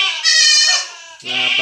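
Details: Close, loud bleating of a young goat receiving an iron injection: a strained, vibrating cry, then a short pause and a second, lower, harsher bleat with a buzzy, rasping edge.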